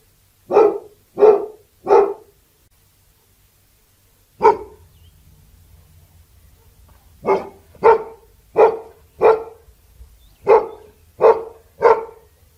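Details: Labrador Retriever giving repeated sharp barks: a quick run of three, one lone bark, then two fast bursts of four and three. Thirteen short, harsh barks in all, with a soft low hum in the pauses.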